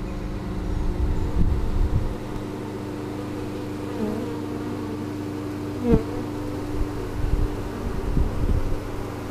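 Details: Honey bees in spring 2013, stirring after their hive was cleaned and moved following overwintering, captured on a GoPro Hero3: a steady low droning hum with a constant tone, brief louder buzzy surges near two and six seconds.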